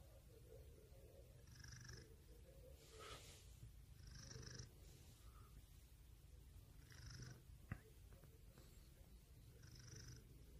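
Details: Pet cat purring steadily, a deep rumbling hum with airy wheezing breaths recurring every couple of seconds and one sharp tap near the end.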